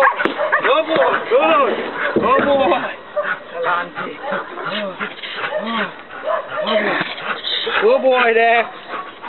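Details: Belgian Malinois Dex, one year old, works through leg-bite training at night in Trinidad. He gives a rapid string of arched barks, some grouped closely, mixed with loud handler shouts and encouragement throughout.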